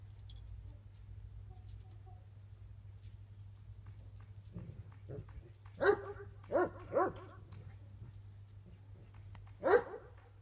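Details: Tornjak, a Bosnian-Croatian livestock guardian mountain sheep dog from Bosnia and Herzegovina and Croatia: a quiet start over steady low hum, then a burst of about four deep, hoarse barks around the middle and one more loud bark near the end.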